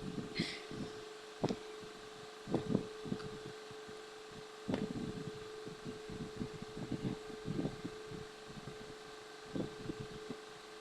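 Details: Steady indoor hum with a constant tone, scattered knocks and clicks, and a faint rustle near the start; no animal voice stands out.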